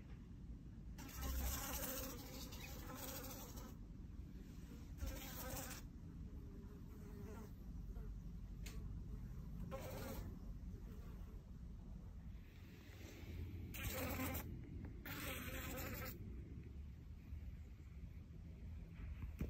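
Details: Annoying fly buzzing. A low droning hum rises in several loud passes, each lasting about a second, with quieter stretches between them. A constant low rumble sits underneath throughout.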